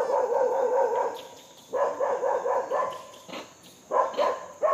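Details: While being fed, a monkey gives a long wavering, throaty call, then shorter rasping barks spaced about a second apart; a thin high tone runs in the background.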